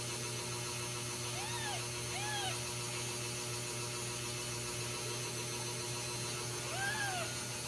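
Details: Ragdoll kittens with their mother at a home cattery in central Kansas, raised without cages; three short arched meows, each rising then falling, spaced a second or more apart, over a steady low hum.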